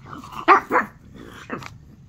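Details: Domestic dog barking at a show on the TV: two sharp barks in quick succession, then a third bark about a second later, with quiet room sound between.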